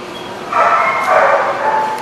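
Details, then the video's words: Dog barking: one long, harmonic, strained bark-whine lasting about a second and a half, starting abruptly, with a high tonal upper part. "The Barking Lot"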